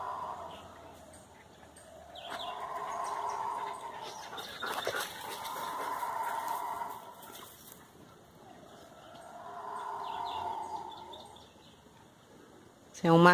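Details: Eerie roaring of guariba howler monkeys in forest, the troop leader making the noise and seeming to draw closer: three swelling, droning waves of roar rise and fade, separated by quieter gaps, with faint bird chirps and a brief clatter.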